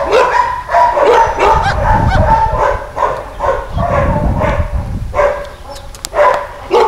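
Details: Caucasian Shepherd-type dog, an energetic roughly nine-year-old male living in a Polish municipal shelter in Środa Wielkopolska, barking in quick repeated volleys, loud and steady, tapering into a few separated barks near the end.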